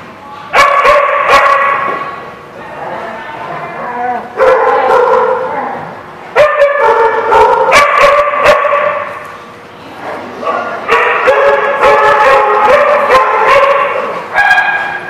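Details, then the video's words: Dogs barking on 16 September 2016: dense, overlapping bursts of harmonic barks and yelps in rapid succession, loud almost throughout, with short lulls near the fourth and tenth seconds. "The Barking Lot"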